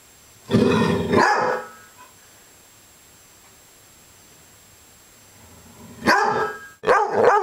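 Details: Maggie, a dog described as upset, gives a rough, pulsing growl for about a second, then after a long quiet pause a second harsh growling burst that ends in a short sharp yelp-like note.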